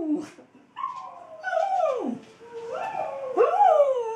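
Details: Female Australian Kelpie howling in response to a recording of her own howling; a short yip, then long wavering howls that swoop up and slide down, ending in a rising, quavering note.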